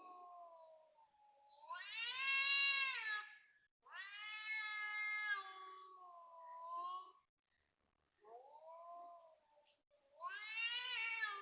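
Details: Cat calling loudly at 5:09 am on 19 February 2026 at a housing block in Toa Payoh, Singapore; long wailing harmonic yowls rising and falling, some low drawn-out moans between, pauses of silence.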